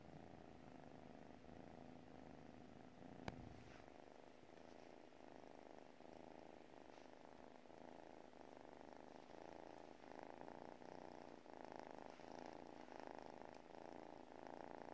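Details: Dozing pet cat purring, a gentle rhythmic low drone in steady breath-length pulses, growing slightly louder toward the end, with a single sharp tap early on.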